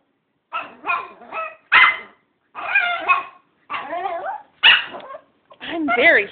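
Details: Female dog complaining after a puppy, shut in its box, got a bone and she did not. A string of about seven bursts of warbling, wavering howl-like whines, some rising and bending like talking, indoors.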